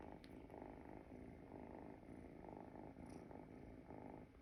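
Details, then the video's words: Sleeping Munchkin kitten, a calico that sleeps with one front paw out, giving soft, steady low rumbling snores in a quiet room, in rhythmic breaths about half a second apart. "Cutest sleeping and snoring munchkin kitten"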